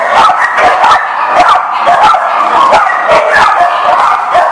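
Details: Dogs barking, recorded 19 November 2018: dense, overlapping barks and yips from several dogs at once, forming an almost unbroken chorus with no quiet gaps.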